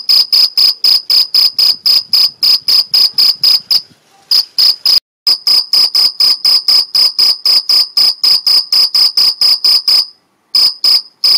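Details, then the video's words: Mediterranean field cricket in the Algarve, Portugal, chirping by stridulation: fast, piercing chirps about four per second, interrupted by short silences near four, five and ten seconds, otherwise steady and loud. "Cricket Chirping Sound Stridulation Grilo Cantando"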